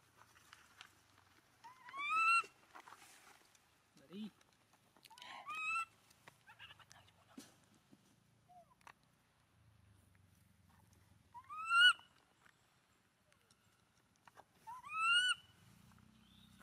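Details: A poor abandoned monkey hugs its owner's feet and wails in four sharp upward-sweeping cries spaced several seconds apart, thin and harmonic-rich, with quieter muffled sounds and low background noise between them.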